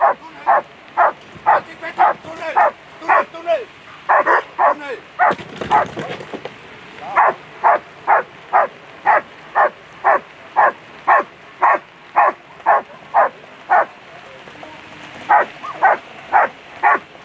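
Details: German Shepherd at a world championship agility event giving a long, steady series of sharp barks, roughly two per second, with a brief burst of noise near the start and faint voices.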